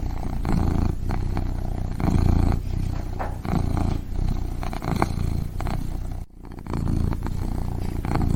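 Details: Steady kitten purring for sleep, a soft low drone swelling and easing rhythmically, broken by one short gap after six seconds.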